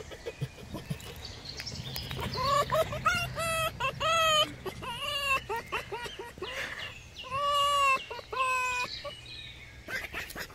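A fox gives high, nasal whining squeals in quick bursts of several notes, each bending up then down, with soft clicks and rustling in between.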